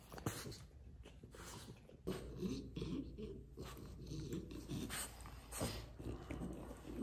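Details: A French Bulldog begs with low, rumbling growl-whimpers and snuffly breathing. The sound runs almost continuously and grows louder after a brief quieter opening.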